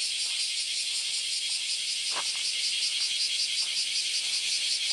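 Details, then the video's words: Cicadas in great numbers on the Philosophy Path, Kyoto, Japan, on a Sunday morning in August. A loud high hiss is overlaid by a rapid regular pulsing of several beats per second, with one brief knock. "Sentiero del filosofo e cicale"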